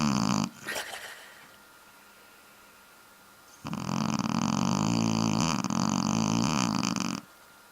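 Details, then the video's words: Sleeping Shar-Pei dog snoring: a short snort at the start, a quiet pause, then a long, loud, buzzy rattling snore lasting several seconds before it stops abruptly. "Shar-Pei Snoring!"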